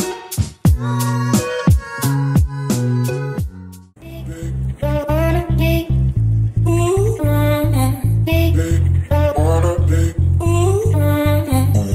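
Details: Reggae-style music with plucked guitar, steady bass and singing fills the recording, with no animal sound heard.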